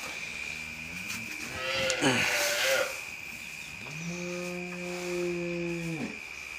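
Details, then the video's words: Jersey cow that has calved, offered for sale: a long steady moo with a slight rise at the start and a falling end, held about two seconds, after rougher mixed sounds and a constant high tone. "ஜெர்சி கன்று ஈன்ற பசு"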